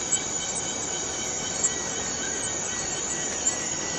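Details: Short stretch of Borneo rainforest cicada noise: an unbroken hissing shrill with a weak ringing tone and three brief ticks.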